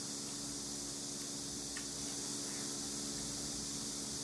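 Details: A steady hiss of fan or air-conditioning noise with a faint hum fills the recording, and no animal is heard.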